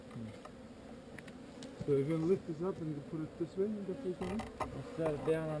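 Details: A relocated honey bee swarm, its low background hum broken by individual bees zooming past in quick, wavering buzzes that rise and fall in pitch.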